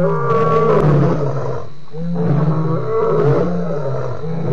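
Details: Lion at Djuma waterhole, 28 October 2016, giving continuous, heavy roaring with deep rumbling tones that swell, dip briefly near the middle, then build again.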